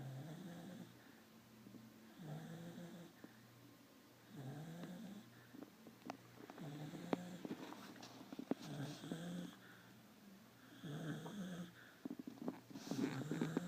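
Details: Sleeping dog resting after a week of visits from other dogs. Low, buzzy snoring breaths come in irregular bouts every couple of seconds, with faint clicks and rustles near the end.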